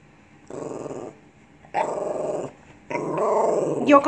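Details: Pet Lhasa Apso indoors 'talking' in three rough, rumbling growl-like grumbles, each about a second long, the last rising into a higher whine while a person urges it on.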